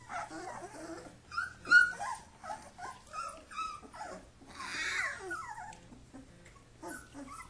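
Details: Wrestling Kuvasz puppies under their father's supervision give low rumbling growls broken by short, sharp yips, one loud yelp near the two-second mark, then a longer raspy growl.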